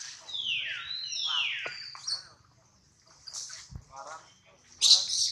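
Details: Baby monkey Adler, hungry and missing his mother, held in the hands of a small monkey: two long, high wailing cries sliding downward, then softer broken whimpers, a brief pause and a sharp shrill squeal at the end.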